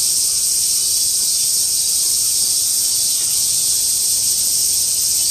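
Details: Chorus of many cicadas recorded in August 2008: a constant piercing high drone, slightly swelling and fading in brightness, steady throughout with no other clear sounds.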